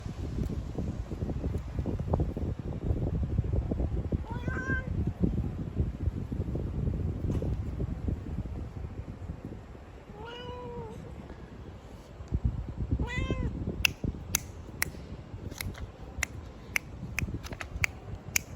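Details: Relaxed cat on a windy night giving three separate meows, each a short arched, tonal cry, spaced several seconds apart, over a constant low wind rumble, with a run of sharp ticking clicks near the end.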